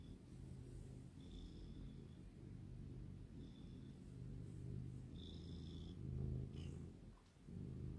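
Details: A relaxed longhaired tabby house cat, a small female, purrs steadily in a low pulsing rumble, with brief faint high tones and a soft click near the end.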